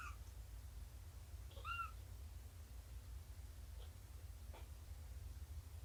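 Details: Shelby, an abandoned mother cat estimated at two years old, during a morning of nursing, snuggles and play with her kittens on 2017-09-24; two short, arched meows near the start and middle over a steady low indoor hum.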